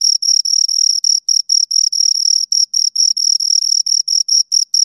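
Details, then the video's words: Two crickets produce high, ringing chirps made by stridulation, longer pulses broken by brief irregular gaps, close and loud with nothing else audible. "Two Crickets Chirp Sounds"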